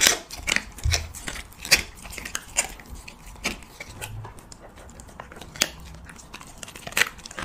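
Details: Siberian Husky eating cheese and meat: loud, separated smacking chomps and clicks roughly once a second, with softer wet chewing between them and a few low thuds.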